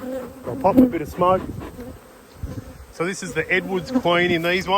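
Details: Honey bees swarming around the face of the recorder during a Yellow and Black hive inspection, 19/3/22: loud, wavering buzzes that swell and bend in pitch, separated by a quieter moment of low hum.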